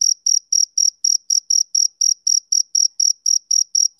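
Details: Clean, high-pitched chirps from a male cricket, each brief and clipped, coming in a quick regular train of roughly four per second against complete silence.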